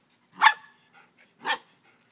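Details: Labradoodle named Mingo, three years old, playing and wrestling indoors with Haplo, a nine-week-old standard poodle puppy; two short, sharp barks about a second apart, the first louder, with quiet pauses between.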